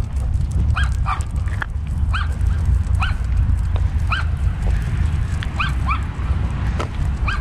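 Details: Two Labrador Retrievers on an off-leash morning walk outdoors; one gives short, high, rising whines and yips over a steady low walking rumble.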